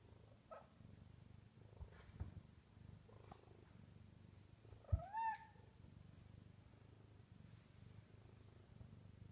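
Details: At night on top of the kitchen cabinets, a Bengal cat that won't settle to sleep purrs in a soft, even low rumble, broken midway by a short rising meow-like chirp and a sharp tap.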